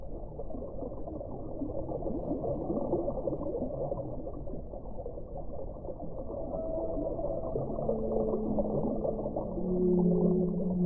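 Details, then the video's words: Whale song over a dense low underwater hiss and rumble; in the second half several long tonal moans at different pitches appear, some gliding slightly, the loudest arriving near the end. "1 ora di suono delle balene"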